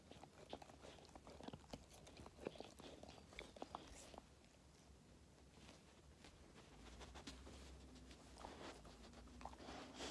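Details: Labrador Retriever puppy, five months old, crunching treats: irregular sharp bites and crackly clicks for the first few seconds, then softer, quieter chewing with scattered crunches toward the end.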